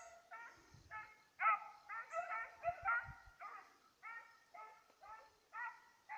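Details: Petit Basset Griffon Vendéen chasing a rabbit, recorded 05/10/2014; about a dozen loud, harmonic bays in quick, uneven succession, each short and slightly hoarse, with faint low thumps and rustling between them.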